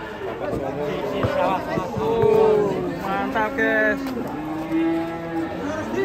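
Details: Giant European-class cattle coming down off a truck: drawn-out, level lowing moos around two and five seconds, rich in harmonics, over background music and human voices.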